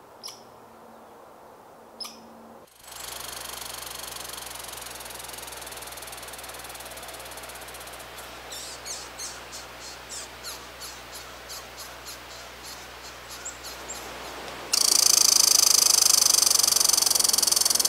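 A red squirrel calls with a rhythmic series of dry, scratchy ticks, repeated roughly four times a second for several seconds. Steady background hiss runs throughout, swelling to a loud rush near the end.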